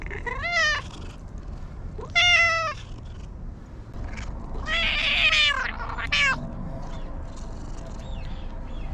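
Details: Talkative stray cat meowing while being petted: four clear meows with bending harmonics, evenly spaced over nine seconds, the third louder and rougher, against a faint outdoor background.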